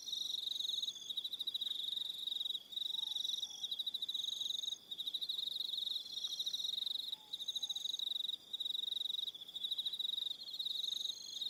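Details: On Aroha Island, New Zealand, crickets call through the evening: continuous rapid high trilling in long runs separated by brief silences, overlaid by additional high buzzy trills and a couple of faint soft lower notes.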